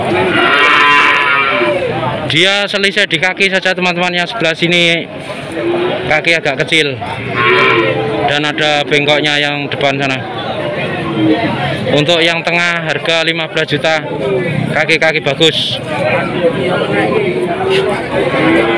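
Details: Young Peranakan Ongole bulls for fattening at the Tuban cattle market in Indonesia: deep, drawn-out moos rise and fall repeatedly over nearly twenty seconds, mixed with lively human chatter and crowd noise from the market.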